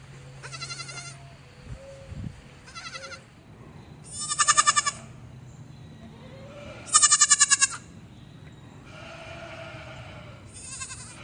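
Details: A baby goat on a farm bleats repeatedly, with high, quavering, nasal cries in short bursts.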